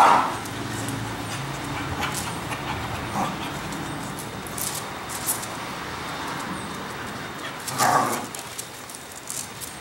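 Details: Cocker Spaniel pet dog playing in the backyard of a home; one sharp bark opens the clip, a softer one follows near three seconds and a louder bark lands near eight seconds over steady background hiss.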